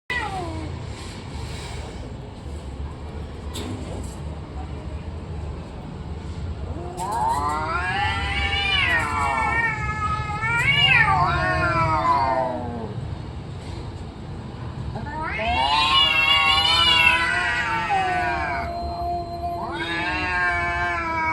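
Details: Cats fighting, drawn-out wavering yowls rising and falling in pitch, two long bouts around seconds 7 to 13 and 15 to 21, after a quiet start with low background rumble.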